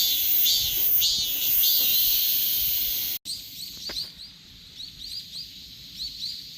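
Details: Korean cicadas droning in a high, hissing chorus with wavering pulses; after a sudden break, softer, clipped chirping pulses repeat at a quicker pace against a quieter background.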